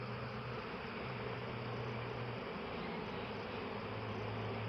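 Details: Honey bees collecting nectar from eucalyptus blossoms fill the air with a steady, low, droning hum that barely changes in pitch.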